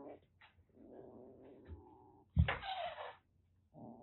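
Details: A rescued calico kitten from Kagoshima, Japan, about a month and a half old, turns threatening indoors: a steady low growl for over a second, then a loud breathy hiss, and a growl resumes at the end.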